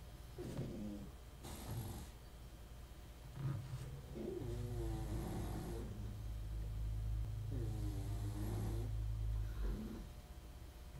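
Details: A dog snores indoors while a 1974 Seiko wristwatch is serviced: drawn-out raspy breaths with a hissy edge come roughly every three to four seconds over a steady low hum.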